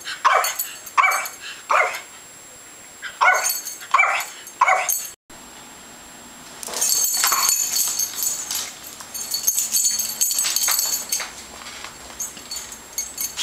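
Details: Yorkshire Terrier pup, born around December 2010 and recorded in May 2011, yapping in a quick series of about eight sharp, bright barks over five seconds. Rustling and handling noise follow, and the barking stops.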